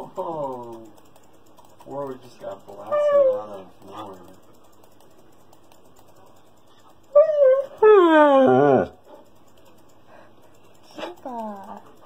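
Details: Siberian Husky named Kiba throwing a tantrum indoors for attention while people play a computer game. Bursts of harmonic, wavering whines and howls that rise and fall, the loudest near the middle, with computer keyboard typing in between.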